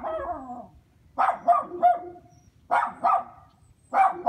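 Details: Neighborhood dogs kept in a dog house on a chain, barking in short paired bursts, one bark right after another, pairs repeating about every second and a half after a fading opening bark.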